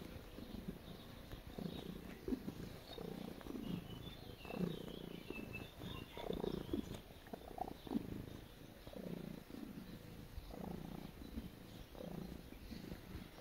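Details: Pet cat kneading and purring, calm and relaxed: a continuous low, rumbling purr in rhythmic inhale-exhale bursts about once a second, with faint scratching and soft higher rustles.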